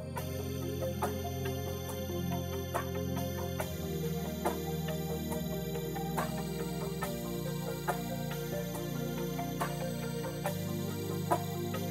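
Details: Synthesizer-led new-age music fills the whole stretch, with soft percussive accents and no animal voice.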